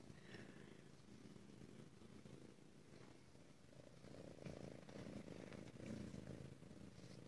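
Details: Female Ragdoll cat purring steadily in a home cattery in central Kansas, where the cats are raised without cages; low continuous rumbling throb with a soft woman's voice talking to the cat before and after.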